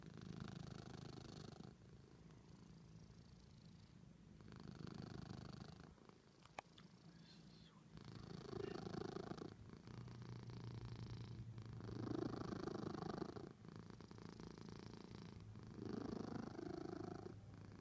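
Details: Natasha, a pet cat, purrs loudly indoors: a deep, rumbling purr that swells and fades in bouts of roughly two to four seconds, with a faint hum underneath.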